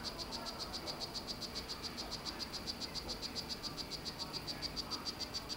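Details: Male Solarte-morph strawberry poison-dart frog calling to court his female in captivity. Rapid, evenly spaced high chirps repeat roughly three to four times a second throughout, over a soft background hiss.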